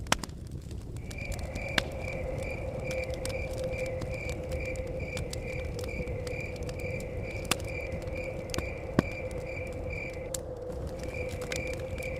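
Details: Chirping crickets by a cabin in the forest, with a fire crackling and wind blowing: bright, regular high chirps roughly twice a second, a brief pause near ten seconds, then resuming, over a steady tone, sharp fire snaps and rumbling wind.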